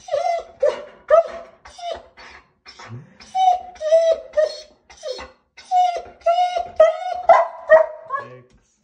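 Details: German Shepherd vocalizing at shower time, indoors: a string of short, tonal, whining moans at steady mid pitch with rich overtones, some sliding up, repeated about twice a second with brief pauses, in a small room.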